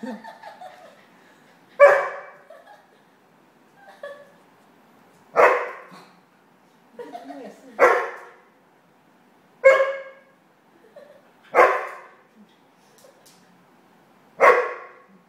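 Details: Standard Poodle and Toy Poodle playing together indoors; loud sharp barks ring out roughly every two seconds, seven strong ones in all, with softer grumbles and small yips between them in a quiet room.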